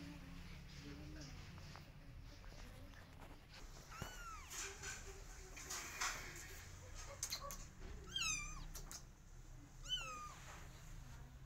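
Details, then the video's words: Cat meows as a mother tries to get her kittens to follow her and they take no notice. Three high, bending meows come several seconds apart, among knocks, thumps and faint voices. "Mother Cat Wants Kittens To Follow Her But Kittens Don't Care"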